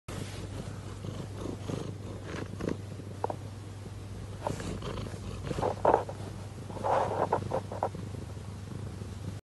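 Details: A lynx point Siamese cat purrs in a steady, low, vibrating rumble with a few soft louder swells.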